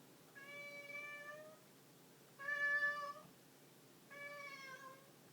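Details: Domestic cat meowing three times, each call a drawn-out, steady, harmonic-rich meow lasting about a second, separated by short pauses, with the middle call loudest, over a faint background hum.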